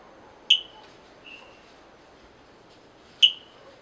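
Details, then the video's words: Calls of a Brazilian frog: two sharp, high chirps about three seconds apart, each dropping into a brief fading tail, with a soft, faint note between them over low background hiss. "Frog sounds compilation"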